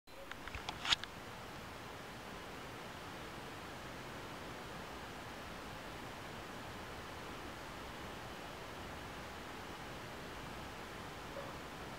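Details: Low, even room hiss runs throughout after a few brief knocks in the first second, with no animal voice.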